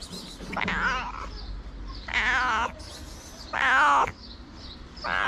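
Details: Homeless white cat begging for food with three loud, strained meows roughly a second long each, wavering in pitch, a further meow starting at the end, over low background hum.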